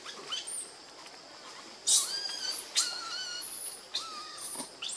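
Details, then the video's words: Baby monkey Lucie, pitiful and needing milk, cries while foaming at the mouth. Shrill screeching bursts mix with thin whistled tones that rise and then level off, spaced roughly a second apart. "Lucie Very Pitiful Need Milk Crying foaming At The Mouth I Lovely Baby Monkey"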